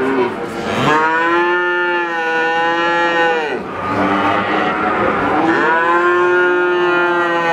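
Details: Calf (young cattle) mooing: two long, rich harmonic moos, the first held steady then sliding down around three and a half seconds, the second starting soon after, rising and stretching into a drawn-out bleat to the end.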